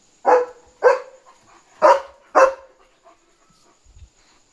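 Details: German Shepherd Leo on night barking duty, warning of a dog outside; four loud barks in two pairs, then quiet with a faint whine-like tone.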